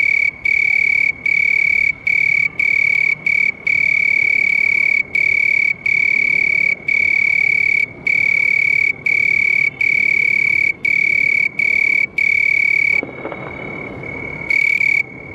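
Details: House cricket song: a continuous shrill, metallic trill interrupted by quick, uneven breaks. It stops abruptly near the end, with a short burst returning just before the close.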